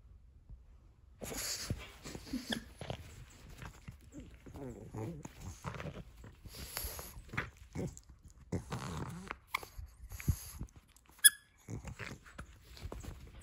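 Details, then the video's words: Nova, a female pug, plays with her crinkle toy indoors: heavy snuffling breaths and mouth sounds come in short bursts, mixed with crisp crinkle rustling and clicks. "Pug ASMR - Heavy Breathing | Mouth Sounds"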